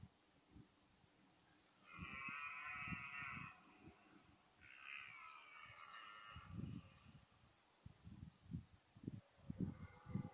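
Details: Red deer stag bellowing during the autumn rut of 2014: two drawn-out, harmonic-rich roars of about a second and a half each, followed by a run of short, deep grunting pulses, with faint high bird chirps above.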